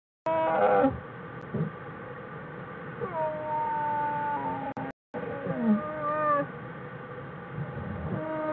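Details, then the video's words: Bears vocalising in their den on January 16, 2013: a short bright call at the start, then quieter sustained droning notes with gentle pitch bends, over constant background hiss. "Singing bears"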